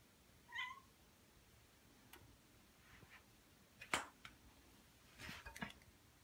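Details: Ragdoll cat, one of a pair named Ao and Aki aged one year and nine months, at home indoors; a short rising meow with clear harmonics, followed by scattered clicks, taps and thumps of household movement.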